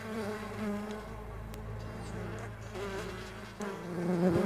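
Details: Stingless bees on a bee farm, a dense buzzing hum over a low rumbling background, with a bee passing close and loud at the end.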